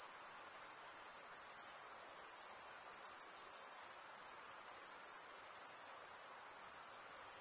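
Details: Chorus of crickets, males chirping through stridulation of serrated wing veins, giving a constant very high ringing trill with a fine rapid pulse, steady in loudness, over a quiet hiss.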